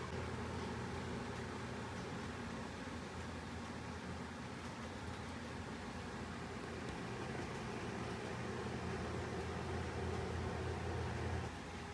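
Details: Steady broadband rumble of a vehicle or fan runs throughout, with no animal voice heard.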